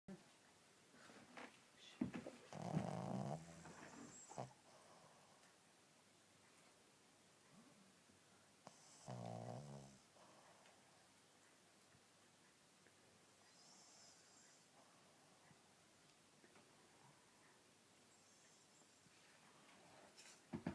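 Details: A sleeping male Shih Tzu snores in low, rattling bursts separated by long quiet pauses, his normal snoring when asleep.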